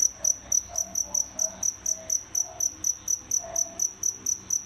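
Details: Indoor pair of captive feeder crickets chirping steadily, about two short, high, shrill chirps per second in an even pulse, with faint low background hum.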